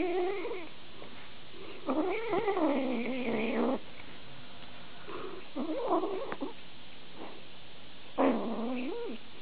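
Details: Pet cat, featured in a compilation of funny cat videos, utters a series of four plaintive meows about two seconds apart, some long and wavering, others short and upturned, against a quiet indoor background.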